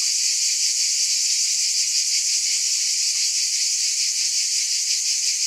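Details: High cicada buzzing, a relentless sizzling chorus with a subtle fast throb and no other clear sounds.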